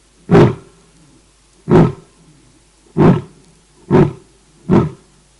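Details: A lioness calling her pride at night while resting at Cat Eye pan, Naledi Game Lodge, greater Kruger National Park: five short, deep, grunting huffs, roughly one per second, coming a little faster toward the end.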